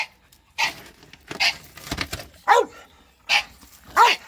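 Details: Bulldogs versus a shop vacuum: a few loud, hoarse barks with short pauses, plus some rustling and a brief murmur in between.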